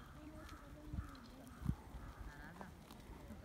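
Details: Sheep and lambs in a valley: wavering, nasal bleats overlap steadily across the clip, with two sharp knocks near the middle.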